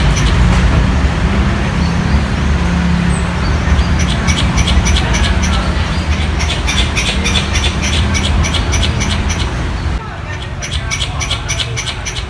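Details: Squirrel in a city 'concrete jungle', calling for a mate: a long run of quick, evenly spaced dry clicks, briefly pausing and resuming, heard over heavy road traffic rumble with a passing vehicle.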